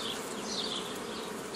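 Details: A close, even drone of honey bees while nucleus colonies are made in the traditional way, 15 May 2018, from a previously gathered forager swarm. Faint high bird twitters sit above the buzzing.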